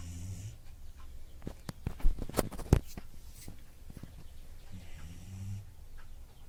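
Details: Dog snoring, low rumbling breaths at the start and again near the end, interrupted midway by a few sharp clicks and knocks.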